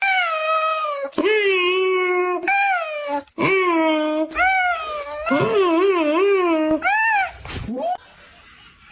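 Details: Domestic cat giving a run of long, drawn-out meows, each sustained about a second with a strong harmonic tone that wavers and bends in pitch, separated by brief gaps, ending in quieter room sound.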